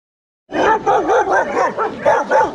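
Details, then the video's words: Young Rottweilers in a kennel exercise yard give a quick run of loud, tonal barks with a wavering pitch, about seven in two seconds, each one sharp and ringing, with no other sound behind them. "Our young Rottweilers in exercise yard"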